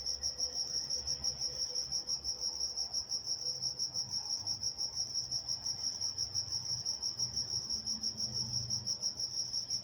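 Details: Walnut, California crickets at night: a bright, regular pulsed chirping held steadily at high pitch, with faint low rumbles drifting in the background.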